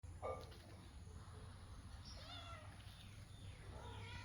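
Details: Cat in a tree, crying: faint, drawn-out, arching mews around the second and fourth seconds, over a steady low rumble of background noise.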